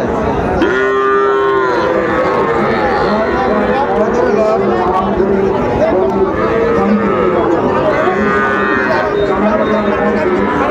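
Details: Cattle at a busy market in Comilla, Bangladesh, on 5 September 2024, with Sahiwal calves being bargained over. Long, droning moos come near the start and again near the end, with other lowing, chatter and bargaining voices throughout.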